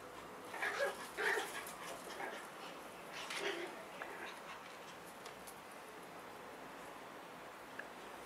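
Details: Eight-week-old Schipperke puppies giving a few short, high whimpering yelps in the first four seconds, then quiet room noise with faint background sounds.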